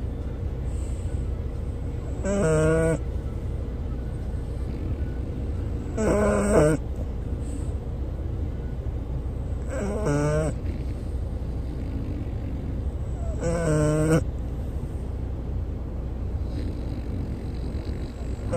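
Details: French bulldog that loves travelling, snoring the whole way through hills and streams: four drawn-out tonal snores, each under a second and about every three and a half seconds, over a steady low vehicle rumble.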